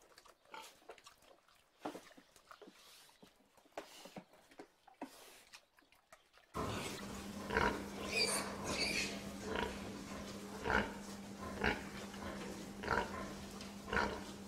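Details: Domestic pig heard first faintly for about six seconds, then louder short grunts repeating irregularly, roughly one to two per second, over a steady low electrical hum.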